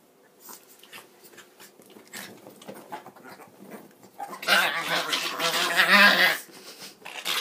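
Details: A Norwich terrier and a chihuahua, puppies about four months old, play together. Soft scuffles and taps lead into a loud, harsh, whining growl that lasts nearly two seconds, then another brief burst.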